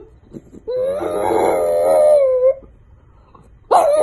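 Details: French bulldog puppies in a comedy compilation: one long, loud, nasal howl held nearly two seconds with a slight wobble and falling end, then a sudden sharp yelp.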